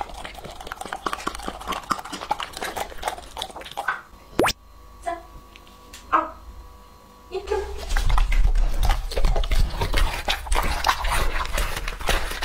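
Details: Lucky, a two-and-a-half-year-old male English-type Labrador Retriever, eating raw meat indoors: dense clicks and wet crunching, broken mid-way by a quieter pause with faint steady tones, then louder, thicker chewing resumes.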